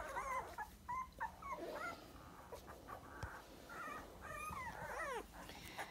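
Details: Sandstone Dachshund puppies, 23 days old and weighing just over a pound, whimper and squeal in high, wavering cries that rise and fall repeatedly.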